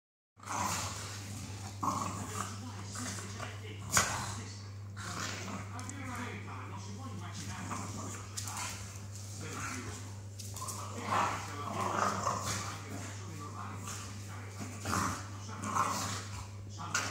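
Staffordshire Bull Terriers fighting, with rough growls and snarls over human voices and a steady low hum.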